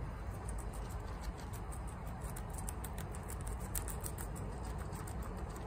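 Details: Chia, a female guinea pig, eats bok choy quickly, with rapid crisp crunching clicks packed close together over a steady low rumble, munching without pause.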